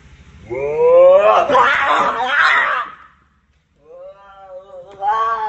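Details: Two fighting cats, described as brothers: a rising harmonic yowl erupts into a harsh, noisy screech for about two seconds, falls silent, then returns as a lower, wavering whine that climbs again at the end.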